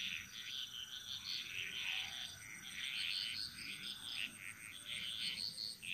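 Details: A chorus of Bali jungle frogs, dense and continuous, with many buzzy, rattling high notes overlapping from several callers and barely pausing, while a faint steady high drone runs underneath.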